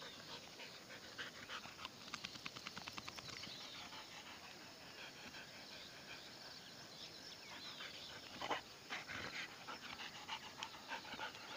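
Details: Sixteen-month-old Golden Retriever outdoors at Gauchar, India, on a fresh morning; quick breathy panting in rhythmic bursts of rapid regular puffs, strongest early on and again near the end, over a steady faint outdoor hiss.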